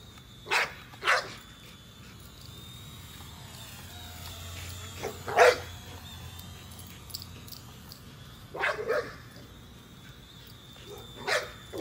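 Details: A female American Bully named Nola chases a drone, giving scattered single and double barks several seconds apart, fairly distant. The drone's continuous high whine and a low hum fill the gaps.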